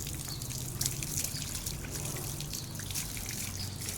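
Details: Quiet trickling and pouring water at bath time with a low background hum and no animal voice.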